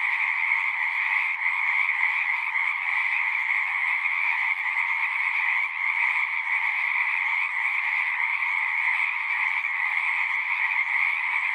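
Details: Frogs singing en masse outdoors, a continuous pulsing buzz of many overlapping callers, steady and dense with a slight dip near the middle, otherwise unchanging, nothing else audible above the chorus.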